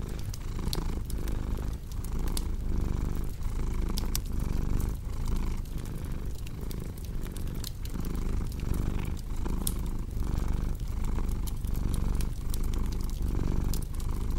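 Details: Cat purring beside a crackling fireplace: a steady low rumble pulsing in breaths about every 0.8 seconds, with sharp pops and snaps of burning wood scattered throughout.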